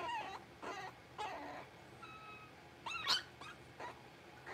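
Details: Six-week-old blenheim Cavalier King Charles Spaniel puppies, a litter of five in an indoor puppy pen. Short, high whimpers come about every half second, with a louder, rising squeal near the middle, then softer whines.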